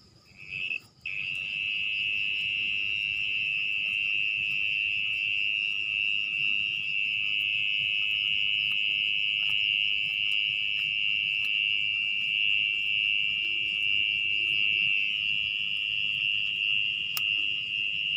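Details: Orong-orong, a mole cricket, sings at night underground in muddy earth as its nest is uncovered. After a short start and a brief break, a long steady high trill continues without pause. Occasional clicks are heard.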